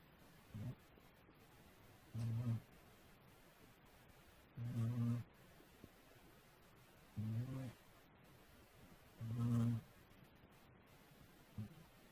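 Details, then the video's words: Cat snoring steadily in its sleep, low rumbling buzzy breaths repeating about every two and a half seconds, five strong snores over a soft hiss of room noise. "코고는 고양이 cat snore"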